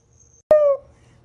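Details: Pet Siberian Husky giving a brief howl indoors: a sharp onset, then a steady, slightly falling harmonic tone lasting about a quarter second. A person's voice is heard around it.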